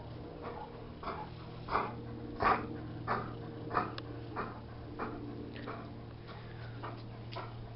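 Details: Jessy, a Bernese Mountain Dog, bored, makes short breathy whimpering huffs repeated roughly every two-thirds of a second, some louder than others, over a steady low hum.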